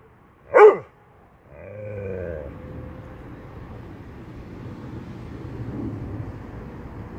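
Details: A Dobermann gives a single sharp bark near the start, followed by a longer low rumble and steady background noise.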